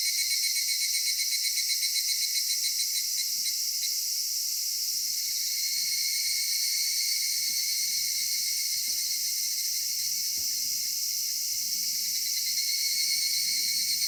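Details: A summer-evening cicada chorus in a cedar forest, a steady high-pitched droning buzz that never pauses, with slight rhythmic pulsing and a few soft low knocks and rustles in the background.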